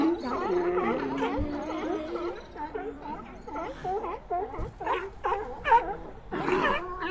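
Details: Sea lion colony calling in chorus: many short, wavering, bending moans and bleats overlap, broken by a few sharper barking bursts, in a busy, uneven rhythm.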